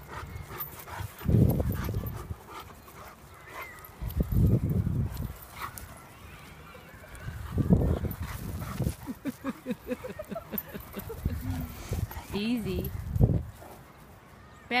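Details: A large Alaskan Malamute, trained from young, plays gently with a Jack Russell Terrier puppy. It is unclear which dog is heard. Deep, rough grumbles come in bursts, then a rapid pulsing run and a few short, rising whines.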